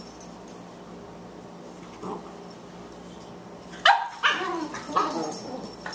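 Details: Two Boxers at play, a 14-week-old female puppy weighing 18 pounds and an older male; a brief whine near two seconds, then a burst of sharp yips and growly barks with rising, wavering tones over quiet room noise.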